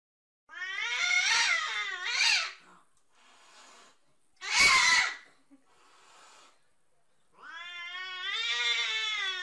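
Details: Domestic cats fighting through glass: long wavering yowls with stacked harmonics, a loud harsh screech near the middle, then a rising, drawn-out howl, with quiet gaps between outbursts.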